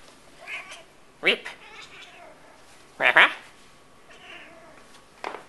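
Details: Tonkinese cat, an adult female pet, talking indoors: a few short harmonic meows and chirps with quiet gaps, two louder stacked calls near the start and middle and a brief one at the end, soft human voice faintly between.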